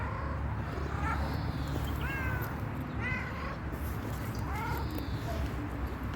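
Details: Resting stray cat asking for food and care, giving about four short, clear meows spaced a second or so apart over a steady low rumble of background noise.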